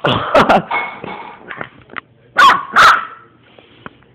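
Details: Young dog, three months old, giving a few sharp barks with pauses between them, plus softer whines and snuffling sounds in a quiet room.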